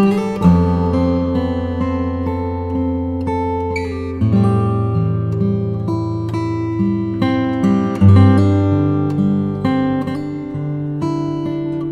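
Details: Strummed acoustic guitar music plays throughout, with no animal sounds.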